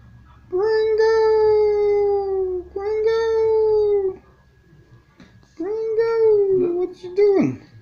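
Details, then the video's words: Pet dog howling indoors as its owner coaxes it to speak, long steady tones held about two to three seconds each, dipping slightly at the ends, with a short broken yelp near the close. "the barking dog"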